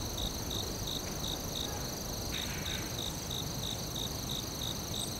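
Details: Crickets in the forest give evenly spaced short chirps about three per second, backed by persistent shrill trilling; a brief soft rustle breaks in midway.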